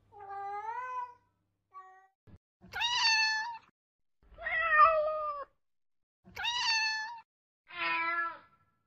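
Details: Baby cats give six drawn-out meows, each about a second long, with bright harmonic tones that bend down at the end. The calls come in a steady back-and-forth between short pauses in a quiet room.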